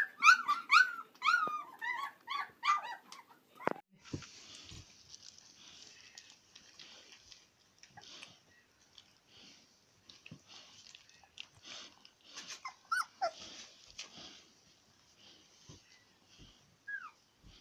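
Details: Indoors, Swedish Elkhound (Jämthund) puppies from a litter of twelve whine in quick rising-and-falling whimpers for the first few seconds, followed by rustling, scuffling and faint scattered squeaks.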